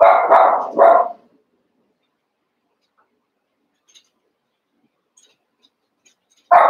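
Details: Cavalier King Charles Spaniel puppies, Daisy's litter of six joined with Robin's two remaining pups, playing together. A rapid burst of three sharp barks opens, then a long quiet stretch before one more bark begins at the end.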